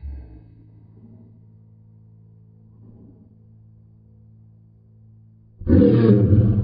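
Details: Lady, a Great Pyrenees dog, doing what is called a dinosaur impression: about five seconds of low steady hum, then a sudden loud, rough, deep roaring growl bursts out for the final second.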